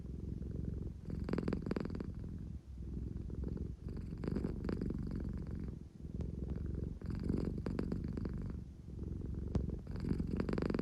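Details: Engine-like purring from Claire, an American Shorthair who purrs when drowsy yet craving affection; the low throaty drone rises and falls in breath cycles roughly every three seconds.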